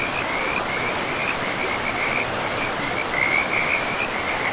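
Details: Frogs calling beside a river deep in a pristine forest with moss-covered ground: a near-continuous run of short pulsed croaks at a high, steady pitch, laid over the constant broad rush of flowing water.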